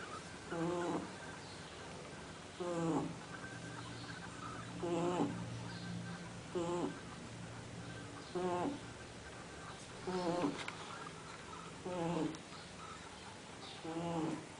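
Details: Sleeping dog named Fred snores steadily indoors, about seven rasping, harmonic breaths in fifteen seconds, each briefly wavering and falling, with quiet room noise between.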